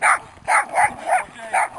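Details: Boston Terrier named Baybee giving a rapid run of five short yappy barks, roughly one every third of a second, with a soft whimpering tone between them.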